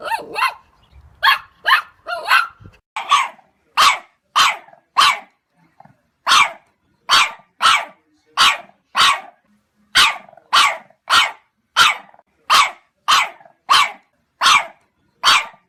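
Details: Puppies barking in a fast, insistent string of bright, piercing yaps, the early barks tumbling close together, later ones settling into a steady rhythm of roughly two per second.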